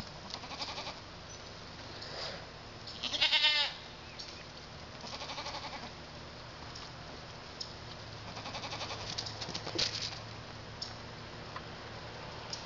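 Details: Pygmy goat kids, young males born February 27 near London, Arkansas, partly weaned on hay and oats; one tremulous bleat early on, then soft rustles, knocks and constant hiss.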